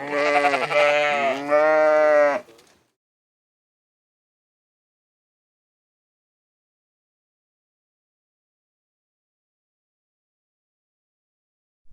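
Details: A sheep gives two quick, back-to-back bleats, each nasal and wavering with strong harmonics, lasting about two and a half seconds in total, followed by silence.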